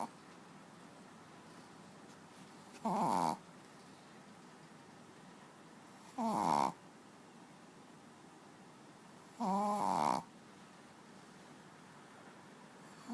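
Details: Sleeping pet dog on a bed gives raspy snores, three of them roughly every three to four seconds, the last one longer and drawn out, over a low background hiss.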